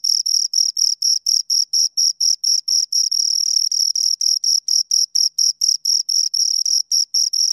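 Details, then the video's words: Two crickets recorded up close give high, scraping chirps at a brisk, regular pace, briefly merging into a continuous buzz around the middle before separating again. "Two Crickets Chirp Sounds"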